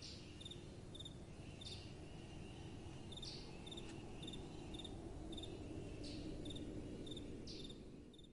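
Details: Crickets calling at night with a soft wind blowing: short high chirps come in quick pairs and clusters, repeated every second or so, over a steady low rush of wind.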